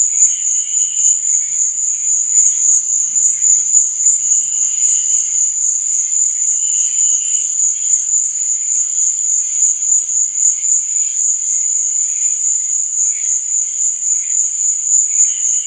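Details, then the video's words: Night crickets keep up an unbroken, piercing high trill, while fainter, lower chirping phrases come and go underneath. "Cricket Sound| Sleep and Relaxation Nature Sound| Stars &Moon| Cricket Noise| Night Sound"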